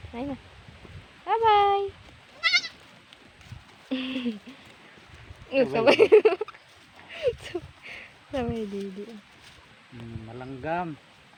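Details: Goat bleating in repeated wavering, quavering cries with stacked harmonics, some rising and others falling, several overlapping; a loud harsh bleat near the middle, short gaps between calls, faint speech-like sounds in the background.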